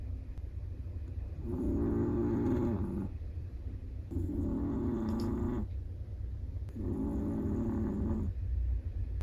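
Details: Sleeping Chihuahua with a black-and-tan long coat. Three even, buzzing snores of about one and a half seconds each, repeating roughly every two and a half seconds, with a quiet low hum beneath.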